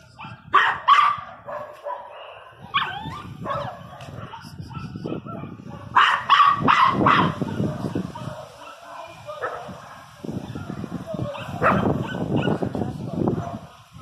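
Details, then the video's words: Teco, a Pinscher, barks angrily in bursts of rapid, high, sharp barks, some running together, amid low background noise and occasional human voice. "pinscher 1 bravo latindo"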